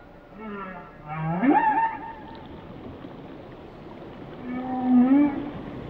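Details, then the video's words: Whale vocalizing in short rising moans and a wavering tonal whoop with harmonics, then a softer warbling low call, with low ocean rumble beneath. "Song of the Whales"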